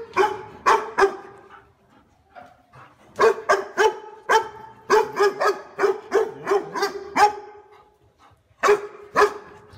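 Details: Loud, warm-toned dog barks of the kind said to guard a house well: a long, rapid series of around twenty deep barks in quick bursts, with short pauses between runs.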